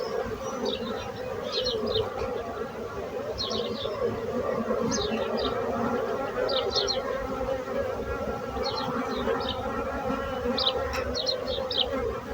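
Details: Bees buzzing: a dense, steady, many-layered hum, rich in overtones, from many insects at once. Short high bird twitters come in brief clusters every second or two throughout.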